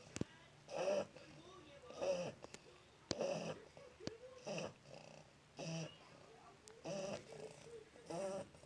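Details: One-month-old Shar Pei puppy snoring while asleep: soft, rhythmic nasal rasps, each lasting about half a second and recurring roughly once per second, over a quiet indoor background.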